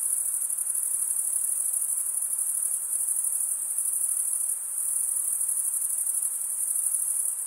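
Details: Continuous shrill cricket chorus, a bright pulsing trill holding steady with a slight dip midway, nothing else audible.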